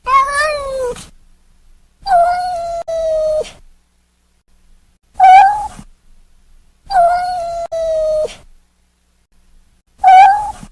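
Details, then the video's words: Newborn kittens meowing indoors: five clear, fairly high meows spaced about two seconds apart, some bending slightly downward at the end, others held level, with silent gaps between them. "New born baby kittens meowing"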